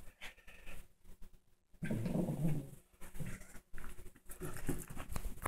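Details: A female Shih Tzu gives a low, throaty growl lasting about a second while tackling her new toy, with scuffling, panting and rustling noises around it.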